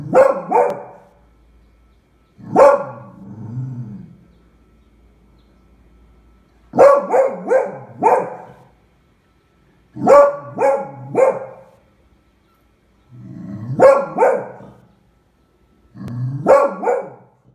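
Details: Beagle named Eva, a female, barking at a pram she takes for a terrible beast, recorded February 20, 2016; bursts of two to four sharp barks come in clusters about every three to four seconds, with short low grumbles between them.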